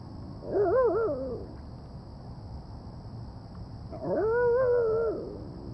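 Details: A female Shiba Inu gives two wavering, yodel-like whines, trying to coax a kitten into playing with her.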